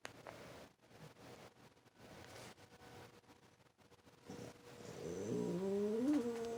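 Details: French Bulldog and Boston Terrier cross reacting to the weekly tornado siren, which it hates; after a quiet stretch a rising, wavering howl begins and grows louder near the end.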